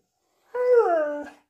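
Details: Max, a pet Siberian Husky, vocalising as if answering his owner's question about what colour he sees: a single drawn-out, moaning howl of about a second that slides downward in pitch, in a quiet indoor room.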